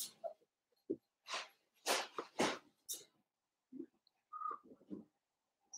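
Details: Blenheim Cavalier King Charles Spaniel puppies from a litter of five born at New Year, kept indoors in a puppy pen. Short, irregular yips and squeaks come between breathy, noisy bursts, with a brief higher whine near the end.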